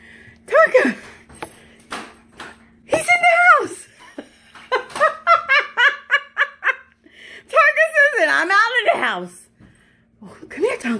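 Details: Indoors, Tonka the Alaskan Malamute gives arched, falling yowls and a rapid string of short woo notes, ending in a long wobbling howl, mixed with laughter and chatter.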